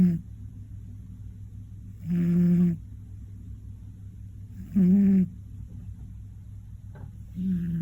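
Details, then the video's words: Koron, a one-year-old male Scottish Fold, sleeps through an afternoon nap with big snores. Three low, buzzy snores, each under a second, come roughly every two and a half seconds, with quiet between them. "大いびき ころんくんのお昼寝／Scottish Fold"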